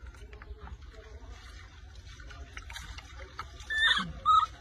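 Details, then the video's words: Baby monkey Rose cries very loudly after her angry mother takes her milk bottle during a bath; shrill, tonal squealing cries build near the end over low background rumble and faint scattered sounds. "Baby rose Crying Very Loudly"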